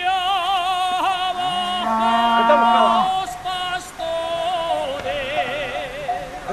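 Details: Sustained vocal singing with vibrato and rich harmonics carries throughout, with no animal voice audible.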